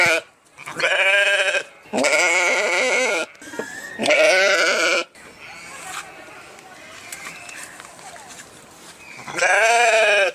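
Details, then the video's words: Sheep giving loud, quavering bleats: three close together in the first five seconds, a quiet stretch with faint background noise, then one more drawn-out bleat at the end. "صوت الخروف | the sound of the sheep"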